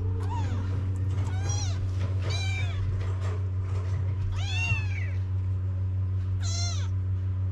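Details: Kittens crying for their mother to nurse, among street cats in Morocco; five high, arching meows rise and fall at irregular intervals over a steady low electrical hum.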